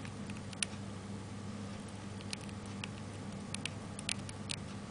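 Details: Pet hamster named Taro, recorded on 29 May 2005 while eating, probably pellets, a food it often ate: sharp, dry crunching clicks in scattered bursts over a steady low indoor hum.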